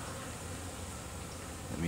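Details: Honey bees in North Carolina, returning with pollen, a sign they're raising young, make a steady low hum, droning evenly with a soft hiss above.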